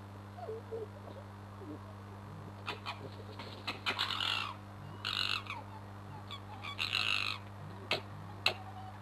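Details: Foxes fighting at night just under a bedroom window. Harsh, raspy screeching bursts and short yelps cluster in the middle and later seconds over a steady low electrical hum.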